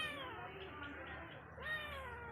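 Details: Domestic cat vocalizing with affection and love, a short run of drawn-out, wavering meows with bending pitch, while a person softly repeats a word between calls.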